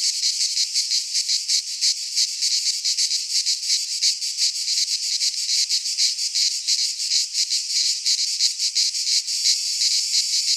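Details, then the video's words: Greek cicadas in a pine forest during midsummer, singing a loud, sizzling buzz that swells and pulses quickly and fairly regularly, filling the whole recording without pause. "Cicadas singing in midsummer"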